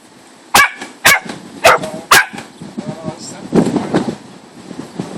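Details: An English Springer Spaniel puppy gives four sharp, high barks about half a second apart while playing.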